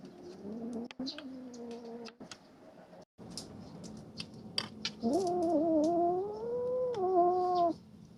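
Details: Three-month-old kittens squabbling over a rat snake they hunted. A low, drawn-out harmonic moan comes first, then after a pause a louder, wavering yowl lasting nearly three seconds, with scattered clicks and rustling.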